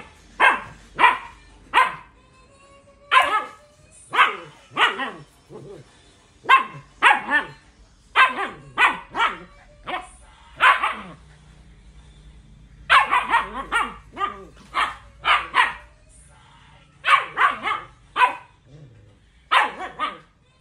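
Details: Siberian Husky giving a long run of loud, clipped barks, mostly evenly spaced about every half second to second, with brief pauses and a faint low hum between bursts.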